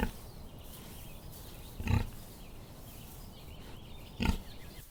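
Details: A pig gives two short, low, husky grunts about two and a half seconds apart over steady outdoor background noise.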